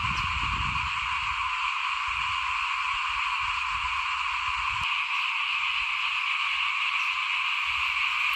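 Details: Frogs call outside a house at rice sowing time, 2021, forming a constant buzzing, trilling wall of sound at several pitches, with low rumbles of wind or handling noise in the first half.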